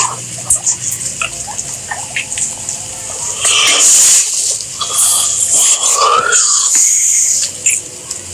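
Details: Guinea pigs squeaking in scattered short bursts, then a louder rush of noise and one drawn-out rising squeal near the end, over constant background hiss.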